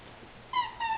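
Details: Autumn, a Golden Retriever puppy from Golden Beginnings Golden Retriever Rescue, at play: after a quiet start come two short, tonal whines, each level and slightly falling, with a faint hum of room noise underneath.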